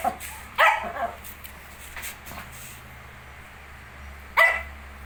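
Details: Shih Tzu with 19-day-old puppies gives two brief yapping barks several seconds apart, with faint softer sounds between them against a quiet indoor background.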